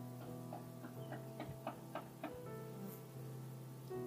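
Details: Gently plucked guitar notes play over a soft, low steady hum, with a light ticking rhythm through the short passage.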